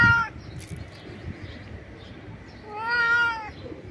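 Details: Stray cat screaming loudly in joy at food while jumping: a brief harmonic meow at the start, then a longer rising-falling meow near the end, with low background rumble between.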